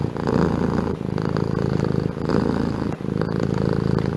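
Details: Domestic cat purring in a steady low rumble, the vibration swelling and easing in cycles of roughly two seconds with each breath in and out, close and continuous throughout.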